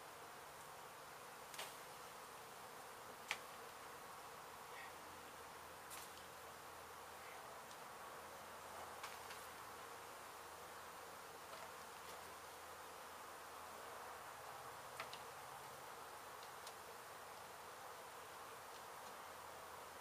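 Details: Honey bee colony in an abandoned house under demolition in Mission, Texas, its hive struck by construction crews and then rescued and relocated; a steady, broad droning hum holds throughout, with a few faint sharp ticks.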